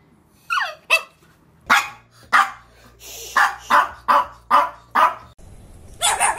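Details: Chihuahua barking, from a compilation of angry, happy and crying Chihuahuas: about ten sharp, high yapping barks in irregular bursts, some clustered close together, with a short low hum in the background and a final rapid flurry.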